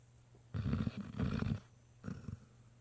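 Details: Great Dane puppy, completely worn out and asleep after a long day visiting a nursing home with his siblings, snoring: two low, rough rumbling breaths, the first long and drawn out, the second shorter, over a faint steady hum.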